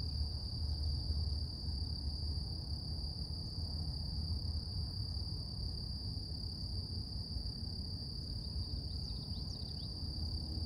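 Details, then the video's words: Morning cicada song: one steady, high-pitched continuous hum that never breaks, over a deep low rumble, with a few faint bird chirps near the end. "Relax With Cicadas Nature | Calming Insect Sounds"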